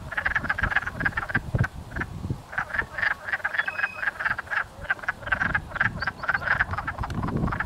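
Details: A dense chorus of wood frogs mating and chasing each other in a pond near a house in Blackfalds, Alberta, giving short, duck-like clucking croaks that overlap continuously; wood frog.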